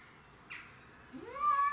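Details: Domestic shorthair cats squaring off over territory, with Tom, Mimi and a grey and white stray: a short scuffing noise, then a yowl starting to rise and hold near the end.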